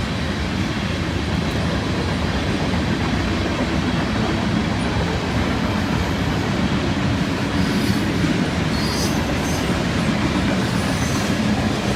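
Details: A continuous low rumble of rail wheels and carriages fills the whole stretch, with faint high squeals near the end. No animal voices come through the mechanical din.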